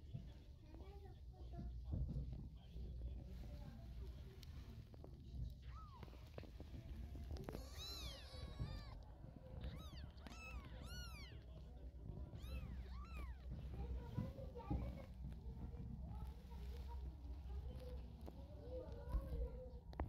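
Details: Mother cat carrying her kittens in her mouth to move them to another spot; a run of high, arched meows with rich overtones, several in quick succession in the middle, then softer mews over a low murmur of voices and hum.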